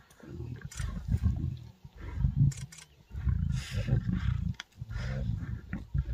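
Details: A pride of lions feeding on a warthog kill in Africa. Deep, rumbling growls and snarls rise and fall in bursts. Several short loud outbursts break through, with brief quieter gaps between them.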